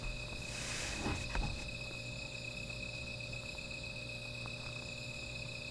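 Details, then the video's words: Insects calling at night beside a small fire: steady high continuous trilling bands hold throughout, with a broad rushing burst and a few knocks in the first second and a low constant hum underneath. "Sound of Insects"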